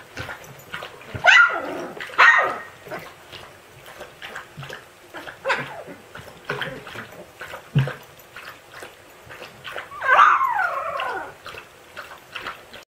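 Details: Husky puppy yells at siblings, giving several loud, strained howling yelps, rising then falling in pitch, near 1, 2, 5.5 and 10 seconds, with quieter grunts, whimpers and scuffling between them.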